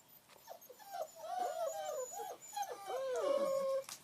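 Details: Long Coat German Shepherd puppies playing in the rain: a tight cluster of squealing, bending whines and yips from more than one pup, ending in a sustained high whine.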